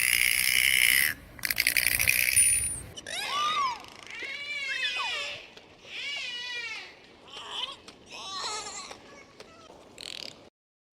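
Harsh broadband click bursts open the sequence. A dolphin then gives a run of sweeping, looping whistles that rise and fall in pitch, each lasting about a second with short gaps between.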